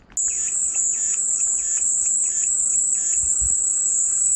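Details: Cicadas buzzing as calming white noise: a steady, shrill, very high drone starts abruptly and holds unbroken throughout, with faint softer chirps pulsing underneath at lower pitch.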